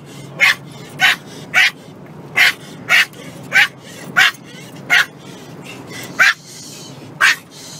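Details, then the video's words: Dog barking in a steady series: eleven short, sharp, loud barks at fairly regular intervals, each bright and broadband, over a low background hum. "Dog Barking"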